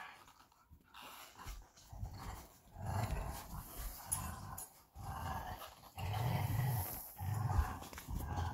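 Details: Belgian Malinois Bullet and Apollo during a tug of war game, giving deep, continuous growls that swell and fade in waves, with toy scuffling and rustling throughout.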